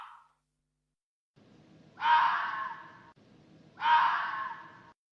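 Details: Raposa-do-campo, or hoary fox, of Brazil's campos and cerrado gives two long, harsh, wailing cries about two seconds apart. Each falls off slowly over a low rumbling background hiss.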